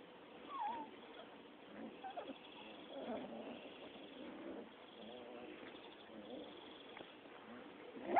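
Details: Six-week-old Rottweiler puppies play-fighting: low, rumbling harmonic growls come in bursts, mixed with short rising whines and yips, over steady background hiss.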